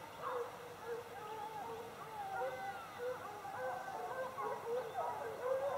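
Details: A pack of hounds in full cry after bushpigs bays, many overlapping drawn-out voices rising and falling together.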